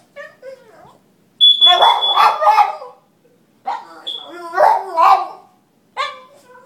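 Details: A Boston Terrier howls in wavering, yodel-like bursts, "singing" along to a high, steady fire-alarm tone during an alarm test.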